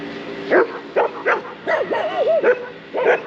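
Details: Shiba Inu aged 2 years 8 months at a neighbourhood dog run in the Netherlands, being repeatedly body-slammed by a black Labradoodle; six short, wavering yelping barks with bending pitch, spaced about half a second apart.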